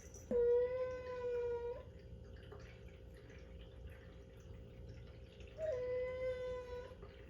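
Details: Indoor domestic cat making a strange sound: two long, steady, nasal meows, each lasting over a second on an even pitch with a slight rise at the start, separated by several seconds of quiet room noise.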